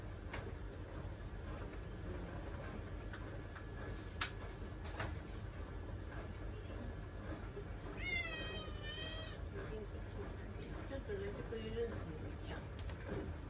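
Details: Domestic cat demanding attention as someone works in the kitchen: one long, wavering, quavering meow midway, followed later by softer short mews, over indoor hum and occasional taps and speech.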